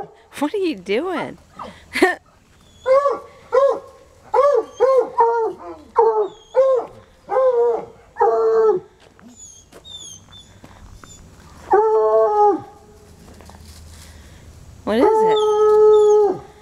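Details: Untrained coonhounds Sunny and Hazard baying outside; a run of short rising-falling bays, then longer drawn-out howled notes near the end, with a faint bird twitter in the middle.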